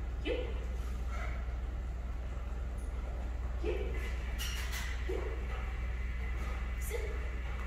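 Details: A one-year-old female Labrador Retriever named Sadie during her first day of off-leash training in Omaha, Nebraska, barks in short mid-pitched yips spaced roughly every one to two seconds over a steady low hum.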